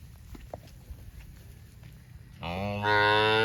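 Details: Tame cattle on a farm among green grass rice fields; after two and a half seconds of low rumbling background, a loud harmonic moo begins and holds steady to the end.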